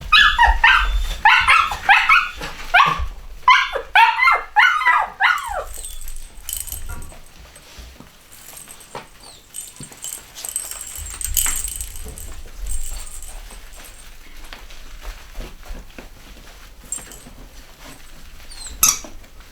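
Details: Chocolate Cockapoo puppies (Cocker Spaniel x Poodle), a home-bred litter of boys and girls, give a rapid burst of high squeaky yelps and whines in the first five seconds, then quieter rustling and scattered squeaks.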